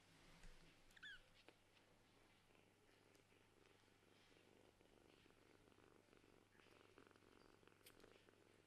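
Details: Kittens of a Scottish Fold mother and a British Shorthair father play indoors with a ball toy that rises endlessly. A faint, short, high mew sounds early on over a soft purring rumble and light handling noises.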